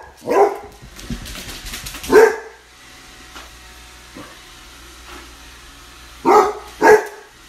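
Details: Basset Hound puppy facing off with a robot vacuum: a bark, a rough rumbling stretch, another bark, a quiet pause with a soft hum, then two quick barks close together.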